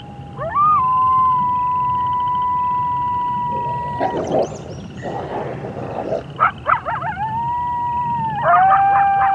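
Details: 3 A coyote howls at night on the prairie, giving long, steady wavering howls broken by quick, rising yips and barks, with frogs and toads calling in the background.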